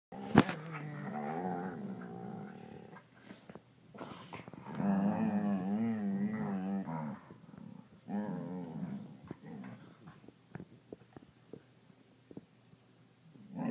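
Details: Two border collies, Theo and Carson, make seal-like sounds indoors: wavering, warbling moans and groans in long bursts with short pauses, separated by sharp clicks and thumps, one loud crack near the start.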